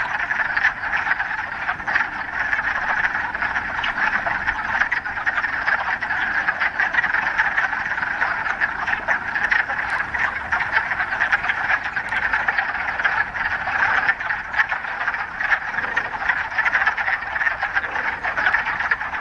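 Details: Many frogs calling together in a mountain pond in the Ramapo Mountains in mid-March, the first warm day of spring after a week of rain: a dense, steady rattling chorus of overlapping croaks with no pauses throughout.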